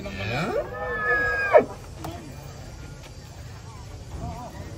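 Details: Giant cattle coming down from a truck in the morning; one loud low moo that rises and breaks off, followed by quieter background and distant voices.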